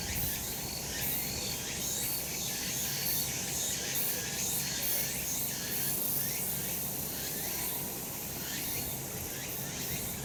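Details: Summer mountain in the sun, full of cicadas: a bright, continuous insect drone with quick repeated pulses, several callers overlapping into one shimmering wall of sound.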